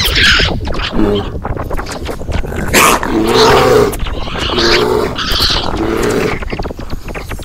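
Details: Male raccoon growling: rough, throaty bursts with short harsh chattering notes, several overlapping pulses recurring roughly every second, with no clear pauses and no other sounds standing out.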